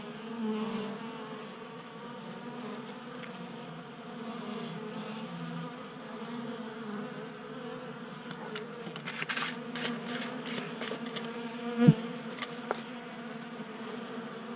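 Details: Honey bees at a 3D-printed table-top feeder, Colorado garage, January warmth burning their winter reserves; a low, wavering collective drone, busier clicking in the second half and one sharp knock near twelve seconds.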